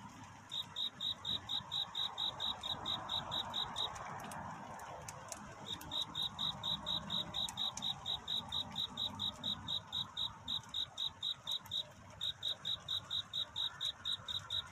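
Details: Night cricket singing to find a mate near dawn: fast regular high chirps, broken by a gap around four to six seconds and a shorter one near twelve, with scattered clicks and soft background hiss.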